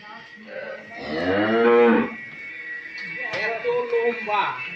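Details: Friesian cow on a dairy farm in Pabna, Bangladesh, nine months pregnant with her first calf: a loud, rising-then-falling drawn-out moo lasting about a second, followed by a softer second bellow.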